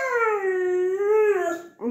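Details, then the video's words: Siberian Husky Baikal, begging to go outdoors, sustains a long tonal howl that dips and rises gently in pitch, with many overtones, ending in a short upward yip. "Хаски говорит МАМА / БАЙКАЛ просится на улицу"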